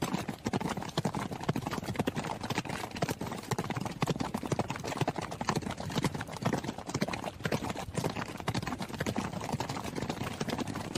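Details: Running horse: a dense, fast stream of sharp hoof strikes, roughly two per second in the main beat, with many overlapping thuds between them and a steady rumbling background.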